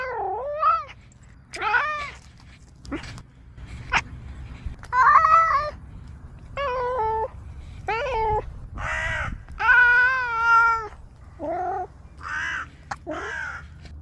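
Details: Domestic cat making unusual sounds: a varied string of meows, some short and yowling, others long and wavering, irregularly spaced, with a few sharp clicks between calls.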